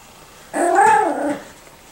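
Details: Five-to-six-week-old Miniature Schnauzer puppies at play, one giving a single loud nasal whine with rich harmonics that arches up then down over nearly a second, in a quiet room.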